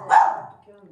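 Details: German Spitz indoors, facing the bathroom and barking; one loud high yap, then faint household sounds.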